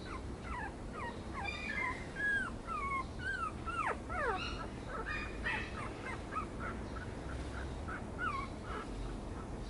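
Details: Yorkipoo puppy whining: a dense run of high, thin whimpers, many sliding downward or hooking up and down, some overlapping, coming several times a second for about ten seconds over a steady low background hum.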